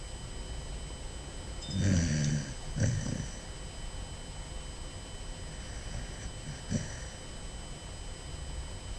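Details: Basset Hound puppy snoring while asleep: two low, rough snoring breaths early on, then quieter snorts near the middle and end, over a steady faint background hum.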